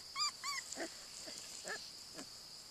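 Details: Airedale Terrier puppy playing with her mother; two quick high, squeaky whines at the start, followed by faint, soft yelping sounds over a steady high hiss.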